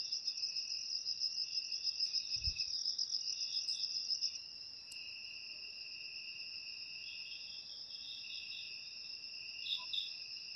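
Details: Crickets, whose sound is used to drive rats from houses naturally: a soft, continuous high ringing trill with a second lower steady buzz, unbroken throughout, and a faint thump early on.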